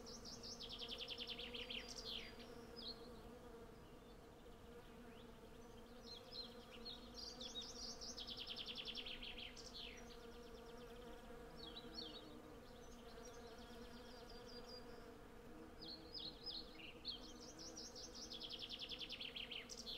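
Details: A dense swarm of hundreds of honey bees forages on cherry blossom, captured with a Zoom F6 and Sennheiser MKH 8040 microphones. The unbroken humming drone underlies frequent bright, rapid trilling bird phrases that recur every few seconds.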